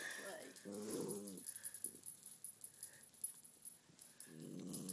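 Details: Peppermint, a female Cairn Terrier indoors, guards her Christmas stocking toy from Max the Fox Terrier: low harmonic-rich growls, a long one near the start and another at the end, with a woman talking and faint rustling.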